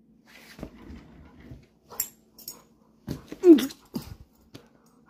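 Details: Black Labrador Retriever, a big dog, indoors in a small room, making short snuffling huffs and breathy wheezes, with one brief whining squeak near the middle, separated by quiet gaps.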